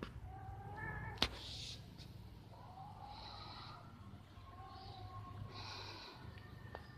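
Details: Two cats mating up in a tree on 11/04/2021 give long, wavering, harmonic yowls that swell and fade over several seconds, broken by one sharp knock, with a steady low traffic rumble beneath.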